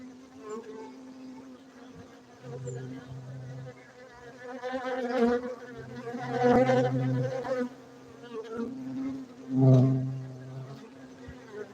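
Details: A continuous hum of farmed honey bees in Bener Meriah, Gayo, Aceh, Indonesia, with a deeper droning layer that rises and falls and louder buzzing surges as insects pass near.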